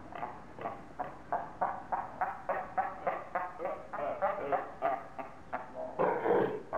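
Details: Captive seals at Zoo Augsburg, Germany, shouting at one another during a dispute. A steady run of hoarse barks comes about three per second and swells into a louder, rougher burst at the end.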